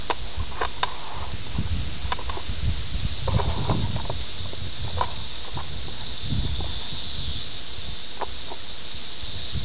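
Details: Seventeen-year cicadas of Brood X near Ayersville, Ohio, filmed on VHS on June 18, 1987; an unbroken shrill hum fills the air while scattered ticks, clicks and low rumbling movement noises come and go.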